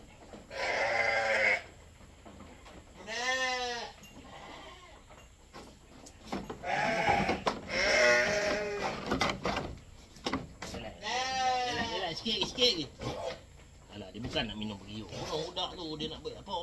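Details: Goat bleats repeated during milking for a newborn kid, several quavering, harmonic-rich cries of one to two seconds, overlapping handling noise and voices.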